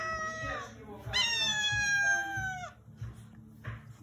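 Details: Angry domestic cat indoors, very angry at the person: a long, harmonically rich meow held level for about 1.5 seconds before dropping sharply, preceded by a shorter meow, with low thumping and rustling noises underneath.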